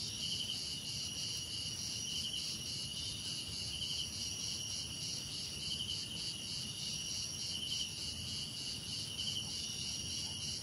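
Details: Cricket chorus with insects: high continuous pulsing trills, while a short, bright chirp burst repeats roughly every one and a half to two seconds, set against faint low-pitched background noise.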